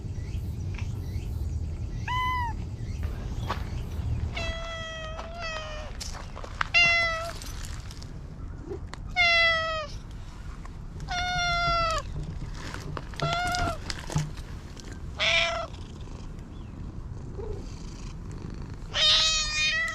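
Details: Talkative stray cat meowing repeatedly, a series of clear, harmonic rising-falling meows roughly every one to two seconds, with some rustling and handling noise in between.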